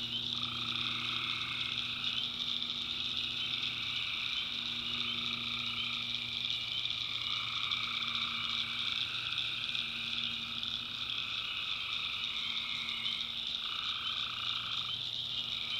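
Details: Tree frogs chorusing at night in a backwoods swamp in North Carolina: dense high trills, a mid-pitched layer pulsing on and off every few seconds, and low droning tones running beneath.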